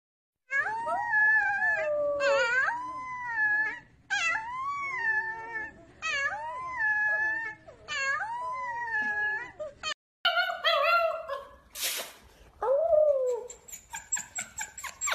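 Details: Wolf. A wolf howls in a series of wavering, rich-toned phrases, each sliding up and then down over about two seconds. Later the howls turn shorter and more broken, with a brief burst of noise.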